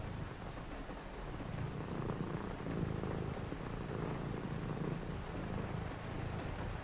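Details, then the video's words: Cat purr on a rainy night: a low, even vibrating drone rising slightly in loudness midway, set against constant gentle rainfall. "a purring cat"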